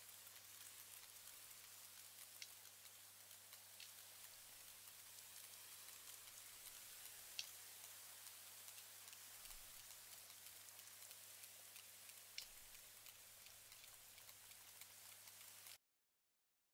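Sperm whale clangs: single loud clicks standing out over steady, crackling echolocation clicking.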